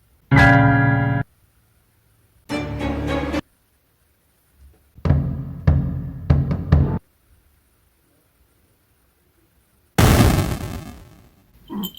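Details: Short bursts of keyboard and timpani-like music separated by silent gaps, with no animal voice heard.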